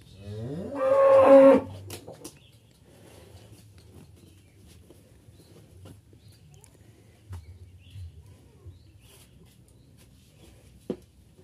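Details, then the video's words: Qurban sacrificial cattle, two head, taken from a farmer's pen and shipped to Jakarta. A single full moo of about one second opens the clip, then near-quiet with occasional soft knocks. "PROSES PENGANGKUTAN SAPI QURBAN"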